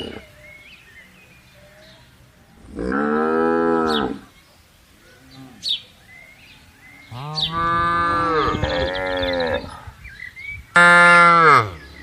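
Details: Gentle cows roaming and herded through a vast palm oil plantation. Three loud, rich moos rise and fall: a single bellow, a long wavering one, then a short, sharp call. Faint bird chirps sound in the quiet gaps.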